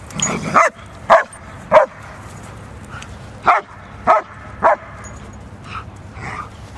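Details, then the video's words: German Shepherds in a fight give short, punchy barks, six loud ones in about seven seconds with softer yelps between, set against a faint low rumble. "German Shepherds Fighting"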